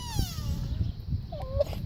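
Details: A friendly sika deer, probably male, at a petting farm gives a thin, whining squeal sliding downward, then a shorter second squeal over low rumble, apparently asking to be fed.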